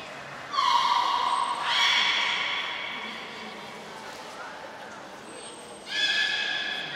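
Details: Captive beluga during a short training session at an aquarium in Nagoya, Japan, on 25 July 2021; clear whistles with rich overtones, one long steady tone then rising, strained whinny-like calls, with hall echo.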